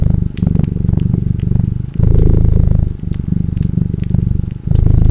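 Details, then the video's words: Deep, low purr from a cat, pulsing in long rumbling phrases with brief dips between breaths, while a log fire crackles with scattered snapping pops. "Cat Purring and Crackling Fireplace sound"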